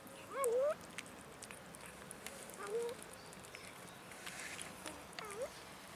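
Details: Abandoned cats in a city park begging for food: three short, rising meows spaced a couple of seconds apart, the first loudest, over steady outdoor background noise.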